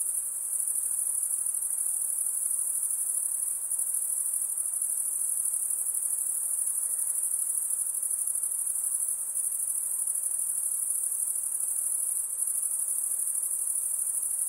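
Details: High, sizzling insect chorus sustained without a gap, its intensity rising and falling in faint, irregular beats, nothing else standing out.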